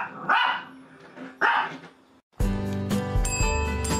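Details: Shih Tzu dog giving two short harsh barks about a second apart, then music starts and plays to the end.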